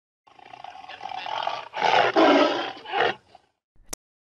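A tiger gives a rough, growling roar that swells in three surges over about three seconds, then stops, followed by a sharp click.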